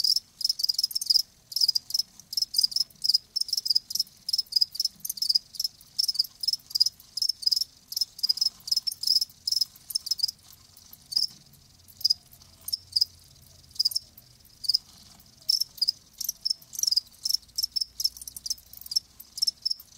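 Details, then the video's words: Live crickets chirping in rapid, high-pitched pulses, bursts repeating several times a second with brief gaps, a steady insect rhythm and nothing else heard. "Live Crickets 60min "Natural Sound""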